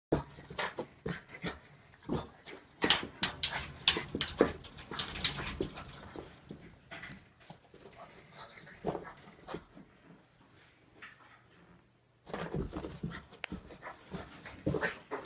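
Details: Small female bulldog confronting her own reflection, determined to face down the other dog. Loud, breathy huffs and snorts come in fast, irregular bursts, about two per second, with a quiet gap near the twelfth second before the huffing resumes.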